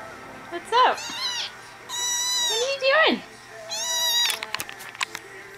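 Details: Three-week-old kitten meowing repeatedly for attention: four loud, bright meows, some sharply rising then falling, others steady and drawn out, coming one after another over five seconds, with a person speaking softly.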